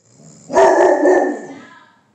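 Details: Chapel, a Bullmastiff who hardly ever barks, gives a single deep, drawn-out bark lasting over a second, then a person chuckles.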